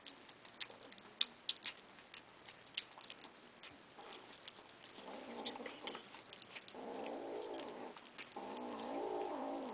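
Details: Kittens, having begged for food, growl at each other while they eat; low, raspy growling builds from quiet clicks into three drawn-out, pulsing bursts over the final five seconds.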